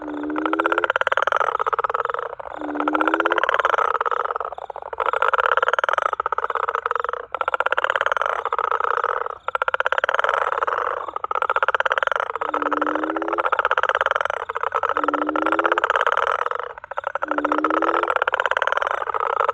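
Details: Greyish smooth garden frog in South Africa, possibly a juvenile bullfrog, calling without pause; long buzzy pulsed croaks repeated about every two and a half seconds, several starting with a brief low upslurred note.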